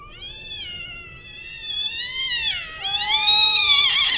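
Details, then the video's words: Fighting cats letting out a continuous wailing yowl, wavering and slowly climbing in pitch before cracking into a harsher, higher cry at the end. "이상한 소리로 싸우는 고양이"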